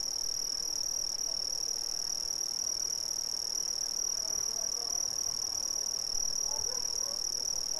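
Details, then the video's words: Brazilian crickets in a steady, unbroken high-pitched chorus: a bright continuous ringing tone with a fainter, higher second band, pulsing rapidly without pause, over a soft low background hiss. "Brazilian Crickets"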